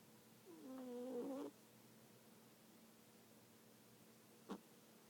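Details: A cat asleep gives one nasal, tonal snore of about a second, followed by a faint short click, in a quiet indoor space.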